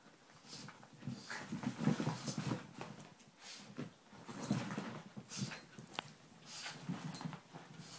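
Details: Female Miniature Schnauzer Dummy playing with a ball in the morning, indoors; low rumbling grumbles come in bursts around two and five seconds, mixed with sharp scuffling clatter and thumps from the play.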